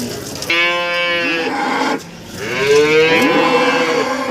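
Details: A cow at a cattle market in Indonesia, among breeding cows and cows with calves. It gives two loud, drawn-out moos with rich harmonics. The second moo bends upward and then falls, over a steady background hum.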